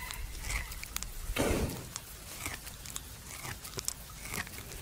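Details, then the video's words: Buffalo lying at rest at noon in a farmer's field, chewing the cud: soft crunching and clicking bites repeat through the clip, with one louder rustling burst near the middle and a steady low background. "Sound buffalo chewing the cud"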